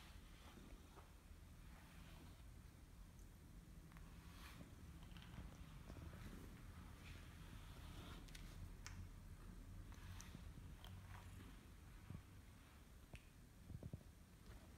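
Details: Loud, contented purring from Kimi, a male British Shorthair cat who loves being brushed and stretches when he sees the brush; a low vibrating drone persists beneath repeated bristly brushing swishes.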